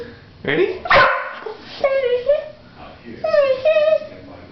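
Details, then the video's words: Female pet dog ready to play, crying and licking her lips; a sharp yip-like burst opens, followed by two drawn-out, wavering whines that rise slightly then level off. "Dog makes funny sound when she's ready to play"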